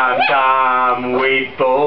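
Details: Sustained, tuneful howling from a singing Chihuahua, holding one pitch before a quick upward slide, then a brief dip and a fresh howl starting at the end.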